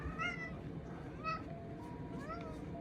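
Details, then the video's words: Pet cat meowing as a morning greeting; three short, rising-and-falling meows spaced about a second apart over steady low background hum. "My Cat Said Hello"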